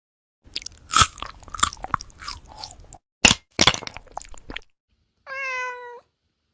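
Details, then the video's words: Crunchy bites and chewing from a cat at its food, several sharp crackly bursts in the first half, followed after a pause by a single steady, even-pitched meow. "Silly Cat's Wacky Munch Attack 😹 Super Funny Eating Sounds"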